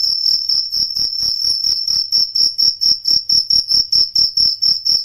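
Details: A cricket sings a loud, high, pure-toned trill broken into rapid pulses, about four per second, steady and unbroken, with no other sounds; used as a night-time training recording for songbirds such as the white-rumped shama.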